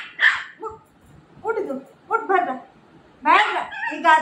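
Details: Milo, a Shih Tzu puppy, quarrels indoors with its mother figure over a bed: short high yips and whiny barks in scattered bursts, interleaved with a woman's raised voice repeatedly ordering it down.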